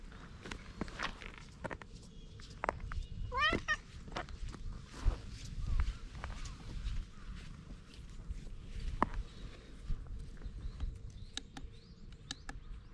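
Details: Stray cat with an unusual coat pattern appealing in cat language before climbing onto a lap; a single short arched meow rises and falls amid rustling, footsteps and handling noise, filmed on a GoPro.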